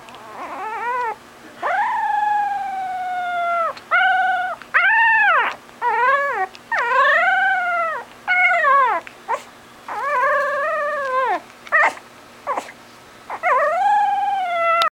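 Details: Puppy dog giving its version of a howl: a run of harmonic, arched wails, some rising and others falling, broken by short yips, repeated over and over with brief pauses.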